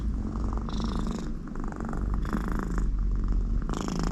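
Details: American Shorthair cat Conny, content next to her owner, purring loudly and deeply, with airy snoring hisses from the nose on several breaths over the low rumble.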